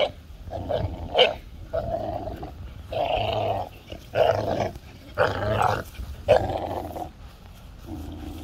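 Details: Playful tug of war between a 5-month-old American Bully puppy and a 2-year-old Golden Retriever; rough rumbling growls in uneven pulses, with occasional sharper yelping accents.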